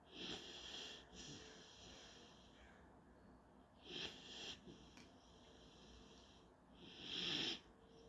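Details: German Shorthaired Pointer puppy Panzer dozing through a daily nap, with wheezy whistling snores. Three stronger breaths come roughly three to four seconds apart, the last the loudest, separated by faint quiet breathing.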